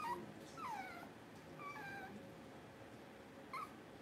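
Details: Puppies on a livestream kept running during a power outage give soft, high whimpers that slide downward, a few short cries spaced across the clip over a quiet room hum.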